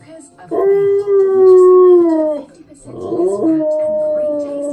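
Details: A Siberian Husky, Key, obsessed with cleaning-product adverts, howls along to the TV. Two brief howls: the first holds then sinks, and the second starts with a rough scoop up before settling on a steady tone.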